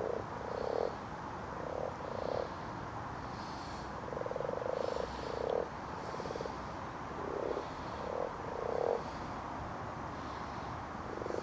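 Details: Several common frogs (Rana temporaria) spawning after dark in a garden pond: low, rattling croaks in clustered bursts about every second or two, with some longer drawn-out purrs over a constant background hiss.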